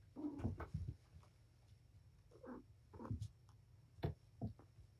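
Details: Indoor playtime of the mother cat Patience with her five young kittens. A low short call opens, then two quick chirping meows come near the middle, mixed with thuds and soft scratching of paws.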